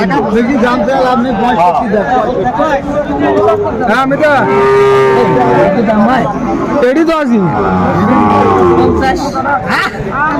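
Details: A Sahiwal bull at a Dhaka cattle market in Bangladesh on 26 December 2024 gives a sustained, steady, mid-pitched moo of about two seconds, half buried under loud talking and crowd noise of traders bargaining.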